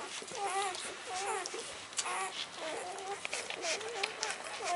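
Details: Litter of 48-hour-old puppies, born by C-section in January 2013, feeding at their mother; repeated wavering squeals and little chevron-shaped whimpers come in clusters from several pups, with faint background talk.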